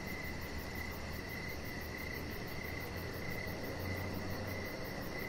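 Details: Crickets outside on an evening deck, a high shrill trill running nearly continuously with brief gaps, set against a low droning hum.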